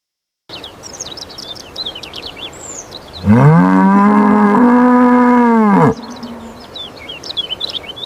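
An ox gives one long, low moo lasting about two and a half seconds, rich in harmonics and rising slightly at the start; small birds chirp before and after.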